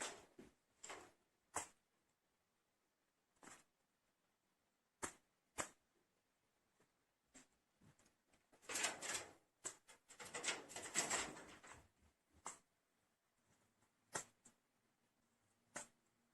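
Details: A pet squirrel named Busik, out for five minutes in the evening to drink water and eat a few nuts, sneezing again and again: short sharp broadband bursts, spaced irregularly, with a longer spell of rustling and crunching in the middle.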